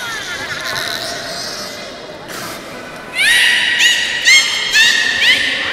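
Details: Beluga during a public training session at the Port of Nagoya Public Aquarium, 18 July 2016, 13:30 show. Thin high whistles at first, then bright upward-sweeping chirps repeated about twice a second, over indoor hall ambience with faint voices and music.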